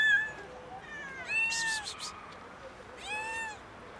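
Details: Kitten, hungry, meows insistently beside a cat chilling on a car: three rising-falling harmonic meows in quick succession, one longer and strained, with a brief hissing rustle.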